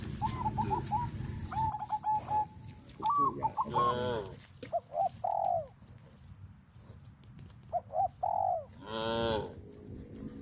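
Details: Tame cattle herd walking in orderly fashion toward grazing fields on a traditional village farm: a few drawn-out, rich harmonic moos, one near the end loudest, mixed with short, thin, higher tonal calls earlier on.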